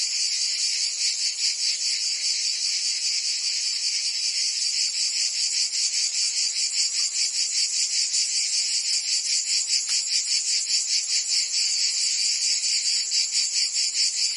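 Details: Provençal summer cicada chorus in France: a relentless high-pitched buzz pulsing rapidly and regularly, about two and a half beats a second, throughout.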